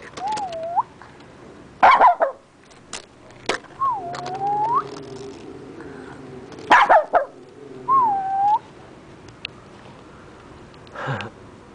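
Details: Sneezing from a neighbour's dog, heard as a few abrupt, harsh bursts several seconds apart, alternating with high wavering whine-like tones that dip and rise, and a faint low hum underneath.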